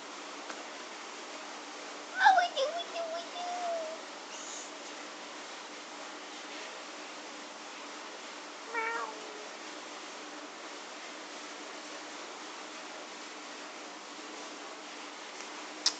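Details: Domestic cat at play with a grasshopper, one drawn-out meow with trailing softer notes early on, then a short quieter mew about six seconds later, with Azerbaijani-speaking voices nearby and a quiet room background.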